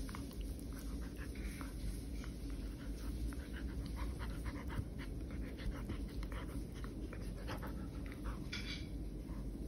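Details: Pet poodle panting fast and evenly while playing indoors at home, airy breaths repeating steadily, light rustles and a brief brighter scrape near the end.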